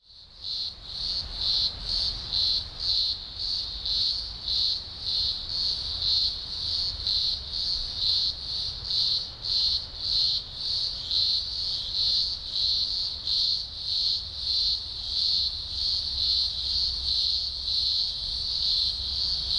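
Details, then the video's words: A deafening chorus of thousands of green grocer cicadas at a large emergence in the Blue Mountains, Australia, in early October 2020 (spring): a loud, high, ringing drone pulsing roughly twice a second. "Blue Mountains Cicada Chorus HQ Audio"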